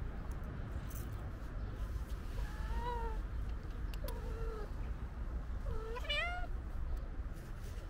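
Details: Stray white cat with a gray tail waiting near a kitten outdoors; three drawn-out, slightly rising then falling meows about a second and a half apart, over steady low traffic-like rumble.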